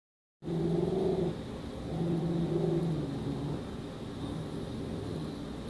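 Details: A female dachshund in a kitchen growls low and steadily at a dog pictured on a wall calendar, apparently taking it for a real dog; the rumbling tone swells and eases without pause.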